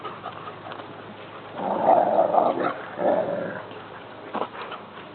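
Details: Boarding dogs playing in a backyard, a Border Collie puppy among them; a dense two-second burst of excited barking and whining mid-clip, then scattered single yelps, while a woman greets the puppy.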